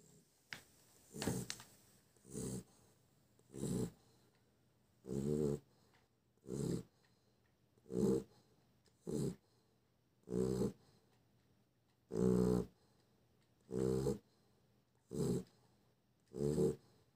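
Deep, gravelly snores come from a sleeping Chow Chow, each one a short rattling burst. The breaths repeat fairly steadily, about one every second and a half, with quiet pauses between.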